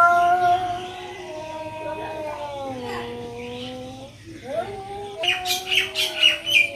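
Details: Two cats fighting in Noldanga village, in the countryside. A long, tonal, harmonic-rich yowl slides slowly downward, pauses, then rises again into a wavering moan. Quick high bird chirps repeat over the final seconds.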